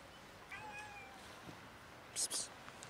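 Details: Ginger cat and black cats fighting over food: one drawn-out, slightly falling meow with clear harmonics. A sharp, hissy burst follows near the end, over a quiet background.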